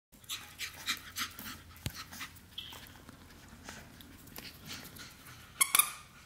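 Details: Shih Tzu puppies Bei Bambi and Misty, indoors on the 1st of July with a mystery bag; soft, breathy panting puffs come quickly, about three per second, then fade, with two sharp clicks near the end.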